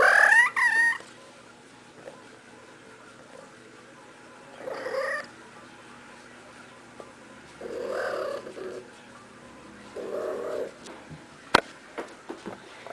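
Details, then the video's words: Playful female cat rolling around like crazy, opening with a loud high rising chirp-trill, then three separate low murmured mews spaced several seconds apart, with light rustling and small clicks between. "Playful Kitty Makes Cute Noises!"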